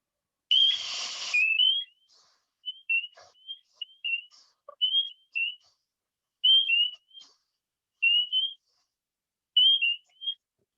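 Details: Spring peepers in Ontario in April, active at night, give very loud, sharp, high, upward-slurred peeps, repeated again and again in a loose chorus.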